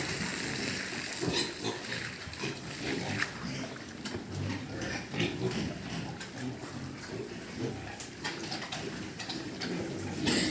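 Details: Pig farm livestock grunting almost continuously, rough low snorts and squeals overlapping throughout, with a steady hiss of background farm noise.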